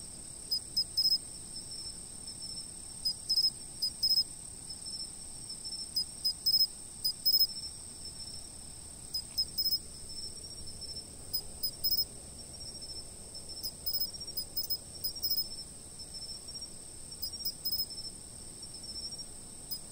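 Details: Insects singing at a fixed camera spot: a constant high trill under loud, short chirp bursts repeated in clusters every few seconds.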